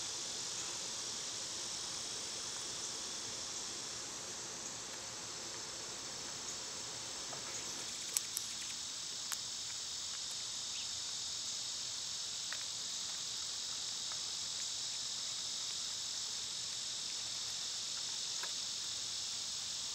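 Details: Loud summertime cicadas fill the air with a steady, high, sizzling drone, broken only by a few faint clicks and taps.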